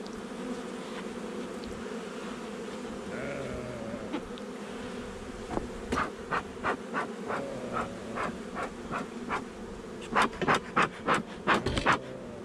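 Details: Honey bees humming in a nuc colony installed a little over a month earlier, during a hive inspection on 8 July 2020; a steady low drone persists throughout, joined after six seconds by a run of sharp clicks and knocks from handling.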